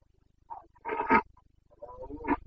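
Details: Roaring Carpathian stag in the breeding season, Bucovina, Romania, late September 2022: a short low grunt, then a loud rasping bellow, then a rougher, falling roar after a brief gap.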